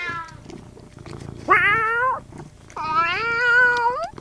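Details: Domestic cat meowing twice indoors: a short rising-then-level meow, a pause, then a longer drawn-out meow with a slight upward lift at the end. A faint low murmur sits underneath.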